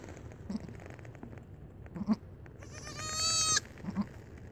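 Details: Young late-born goat kid calling out in greeting to its owner with a single rising, nasal, trembling bleat lasting about a second, with soft thuds and low rustling around it.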